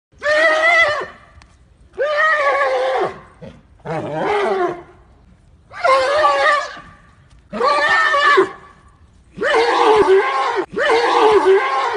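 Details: Arabian horse calling loudly, a series of seven harsh, rasping neighs each about a second long with strong banded harmonics, repeated roughly every one and a half to two seconds with short silent gaps, no other sounds.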